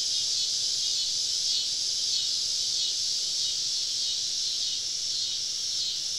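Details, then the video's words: Southern woodland cicadas on a summer evening, surrounding campers deep in the forest; a dense, high-pitched continuous buzz with quick, soft pulsations, steady in volume and free of other sounds. "Southern Evening Summer Cicada Symphony"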